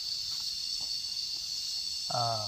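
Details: Cicadas crying in a steady, high, hissing drone, somewhat softer here, with a person's voice starting up near the end.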